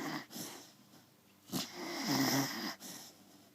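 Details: Snoring Beagle with wheezy, rasping breaths, a brief snort, then a longer rough snore, and fainter breathing after it.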